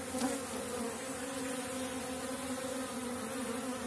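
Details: Honey bees of small-cell (4.9 mm) stock at an apiary in April, a strong colony at the start of the season when dandelion blooms; a steady, droning hive hum with a low fundamental and even harmonics held throughout.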